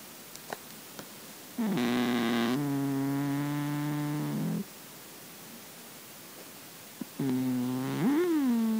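A Russian Blue cat snores in long, droning, buzzy breaths with quiet pauses between them.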